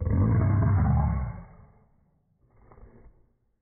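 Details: West Highland White Terrier roaring: a loud, deep, rough roar lasting just over a second, trailing into a rumble, then a shorter and quieter second roar after a brief pause.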